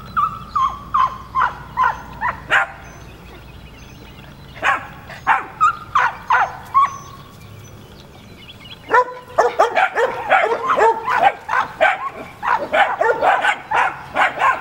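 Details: Puppies filmed in 2013 yapping in quick, high-pitched bursts, some yips drawn out almost into whines, with a brief lull midway before a dense, overlapping flurry of excited barks.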